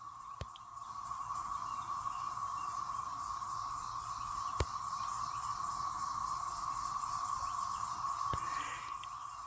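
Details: A massed chorus of cicadas from a once-in-13-years super hatch in South Carolina gives a steady, droning, sci-fi-spaceship-like whine at one mid pitch, unbroken throughout, with a few faint clicks.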